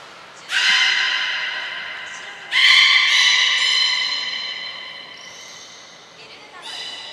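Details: During a 15 June 2022 training session at Port of Nagoya Public Aquarium, belugas Gray and Mirai give two strong harmonic squealing calls that fade slowly, followed by a softer call near the end.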